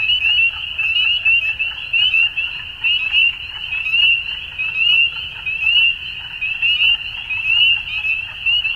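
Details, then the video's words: Many frogs sing together at dusk, producing a bright, continuous trilling drone with quick rising notes recurring around every second and a subdued low-frequency hum behind. "Frogs At Dusk"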